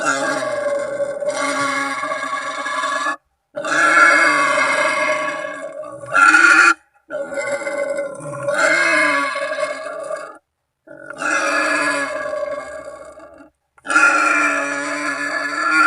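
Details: Wild boar calling to companions or rivals, a genuine call used as a hunting lure; a long series of coarse, harmonic grunting squeals in bursts of two to three seconds, each separated by a brief silence.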